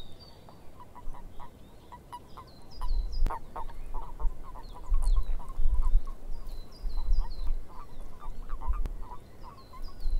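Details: Frogs calling in a swamp: a chorus of short croaking notes repeated irregularly in a low-middle register, with high chirping birdsong above and low rumbling wind or background noise throughout.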